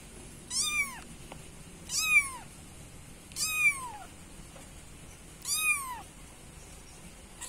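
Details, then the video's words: Kitten meowing to call its mother, four clear, high, downward-curving mews spaced one to two seconds apart against a quiet background. "Suara anak kucing meow-meow"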